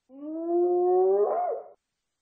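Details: A single long hyena whoop: a smooth, low, steady tone that rises slightly and finishes with a quick wavering upturn before cutting off.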